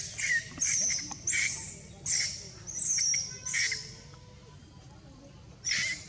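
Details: Shrill screams of a crying baby monkey as monkeys mate, several harsh bursts in close sequence, a pause of over a second, then one final screech; low background hum throughout.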